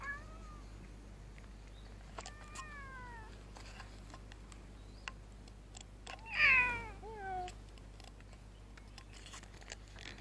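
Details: Cute house cat that looks like a Scottish Fold cross, meowing in protest when a hand is placed on its head. Three meows: a short falling one, a longer wavering cry, then a loud drawn-out descending wail. Faint clicks in a quiet room.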